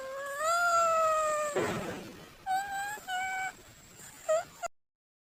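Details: Domestic cat giving a long, steady meow, then a short noisy burst and a string of shorter meows and a final brief mew before silence.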